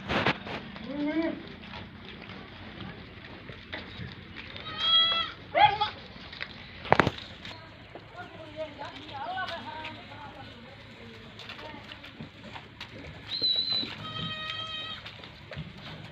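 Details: Goat bleating during a fight on a goat farm, described as angry and naughty; several harmonic, wavering bleats near the start, around five seconds and again at fourteen seconds, with people talking and a sharp thud mid-clip.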